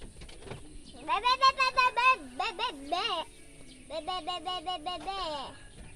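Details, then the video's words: A sheep with its young bleating in pulsed, trembling runs: a quick series of shaky notes for about two seconds, a brief pause, then another vibrating series fading down in pitch. "Marab Domba Jeng Budak"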